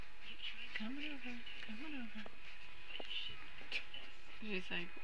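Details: Puppy sounds early on a Saturday: a series of short rising and falling whines and yelps, with a steady background hum.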